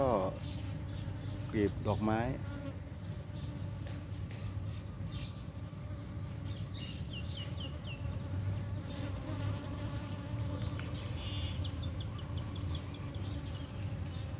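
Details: Dwarf honey bees foraging in the morning, competing to suck nectar from flowers to store in their nest; steady low droning buzz throughout, with a brief rising bird-like whistle near the start and a man speaking.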